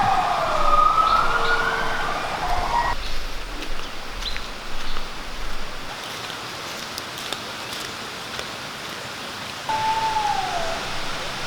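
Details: Gibbons at a rehabilitation project in Khao Phra Thaeo National Park, Phuket, Thailand, give loud, siren-like whooping wails sweeping up and down in pitch over a low rumble. They were rescued from use as tourist attractions.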